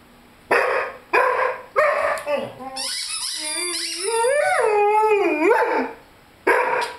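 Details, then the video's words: Three short, sharp barks from Lyle, a 5-month-old Rhodesian Ridgeback, give way to a long wavering howl that rises and dips over about three seconds, mixed with high squeaking from his toy chicken, then a final bark. "Rhodesian Ridgeback Howling with squeaky toy."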